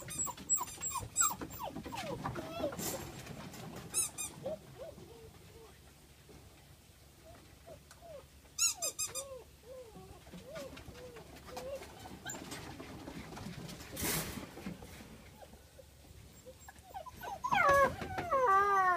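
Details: Black German Shepherd puppies from Peterborough whimper and whine in wavering, rising-and-falling tones, broken by occasional bursts of shrill squeaks. A person talks nearby, and the whines swell loudly at the close.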